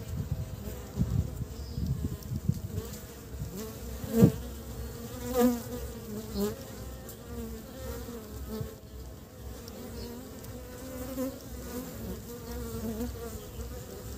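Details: Western honey bees (Apis mellifera) in early spring, bringing pollen back to build the nest, give a steady, low droning wing buzz that swells as individuals fly close past.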